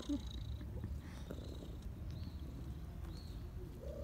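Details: Domestic cats purring in autumn: a steady, low, continuous rumbling purr runs throughout, with faint thin high tones drifting in the background.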